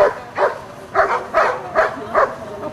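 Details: Black Giant Schnauzer named Amos barking: six loud, full barks spaced about every 0.4 seconds, each a short harmonic burst with pauses between.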